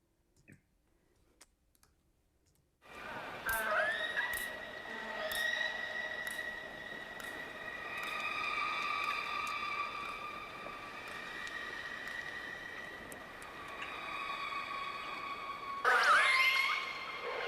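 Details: Northern resident orcas trade drawn-out, squealing underwater calls in deep fjords, and each call is trailed by a fainter echo bouncing back off the fjord walls.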